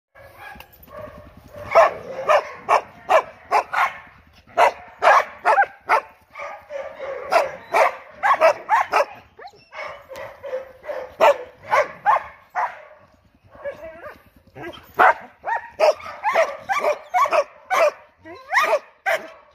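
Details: Several dogs barking loudly, a dense run of sharp, rapid barks about two per second that come in bursts with short breaks, meant to provoke pet dogs or cats at home.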